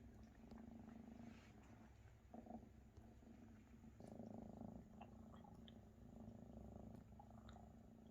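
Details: Maine Coon mother Luna feeding her big kittens, which purr loudly; a rumbling purr rising and falling in bursts, accompanied by suckling smacks and small clicks.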